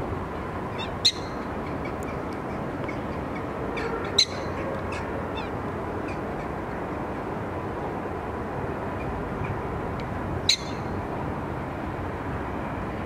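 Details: Prairie dog at Diergaarde Blijdorp giving a loud welcome greeting: three short, sharp, high chirps spaced several seconds apart, each a quick bright yip, over a steady low background hum.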